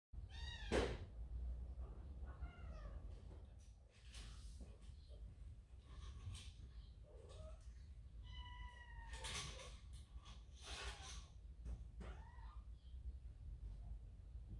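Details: Kitten, part of a large cat family, goes to its mother after being scolded by its older brother and gives a handful of short, separate meows, some rising and some falling, with soft thumps and rustling between them.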